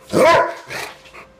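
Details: A trained Rottweiler, once reluctant to bark even at the door, gives a single deep, forceful bark on command, followed by softer sounds.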